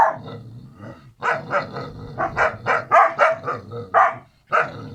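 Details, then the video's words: Kangal pups Karo and Karaca, brother and sister, bark fast and shrilly, with rough growly texture beneath the yaps and a quiet gap before the last bark. "kangal yavruları karo ve Karaca kardeşler"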